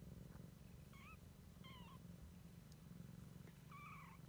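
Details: Siamese kitten exploring for the first time, purring in a constant low rumble while giving three or four short, thin, bent squeaky mews in quick succession.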